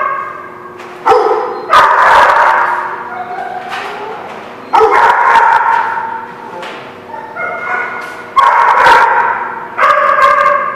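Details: Dogs at The Barking Lot, recorded 2/11/17, give loud harmonic barks and drawn-out yelping cries in bursts every few seconds, each starting sharply and trailing off, with echoing background between outbursts.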